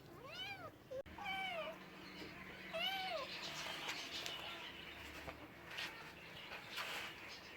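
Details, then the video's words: Cat giving two short arched meows early on, followed by a stretch of broadband clattering noise without clear calls. "Funny cats sounds for lonely cats"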